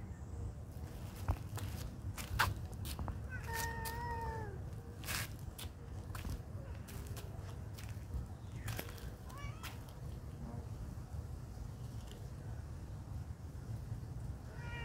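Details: Friendly cats at a pagoda; a falling meow early on, then a shorter upward-bending call and a brief meow at the very end, amid low background rumble, knocks and light footstep-like noises.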